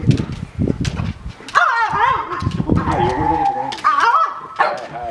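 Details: Two pet French Bulldogs at home, vying for attention when a favourite younger brother comes to visit; drawn-out wavering whines that rise and fall in pitch, with a few short yelps, over nearby human voices.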